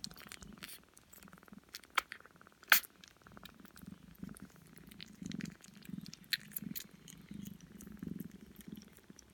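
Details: Sphynx kittens, 16 days old, purring noisily and suckling as their mother Prune feeds them indoors; a steady low rumbling purr pulses throughout, with sharp clicks and smacking suckling sounds on top.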